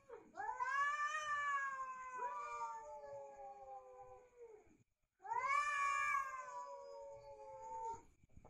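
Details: Two long, drawn-out yowls from fighting cats, each rising quickly then sliding slowly downward in a moaning tone, separated by a short silence.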